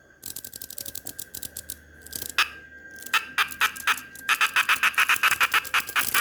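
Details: A cicada in El Salvador, held in a hand unharmed, gives bursts of dry, rapid, ratchet-like clicks in uneven rattling runs before falling silent; cicada.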